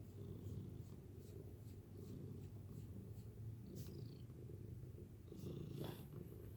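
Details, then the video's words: Continuous low, rhythmic purring from a domestic cat, steady and close, with a few faint clicks and rustles near the end. "LOVABLE PURRING TREASURE!"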